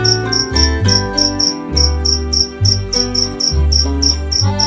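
A cricket chirps high and bright, its short pulses repeating several times a second in an even rhythm. Sustained organ or keyboard music plays underneath throughout.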